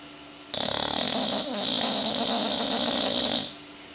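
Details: Sleeping bulldog snoring in one loud, rough, raspy breath lasting about three seconds, a fast rattling flutter with a bright hissy edge, quiet before and after.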